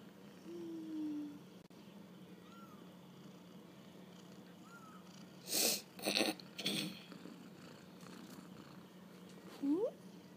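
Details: Kittens on their first walk about: a low falling mew opens, then two brief chirps and bursts of rustling or handling noise, ending with a quick upward-sweeping cry, over a steady hum.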